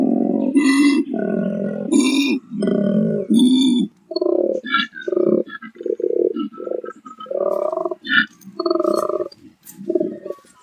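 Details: Wild koala in the Australian bush gives a deep, rasping growl of belch-like grunts repeated about once a second.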